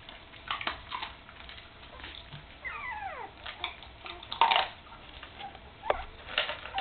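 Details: Puppies nearly three weeks old, eyes newly open and learning to walk, beside their mother Candy; one brief falling, harmonic whimper partway through, surrounded by soft rustling and knocks indoors.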